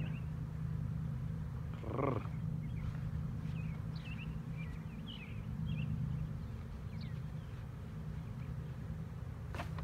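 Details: A 2019 honey bee swarm hums in a dense, even low drone while being settled. A short human vocal burst rises near the start and scattered bird chirps sound faintly above.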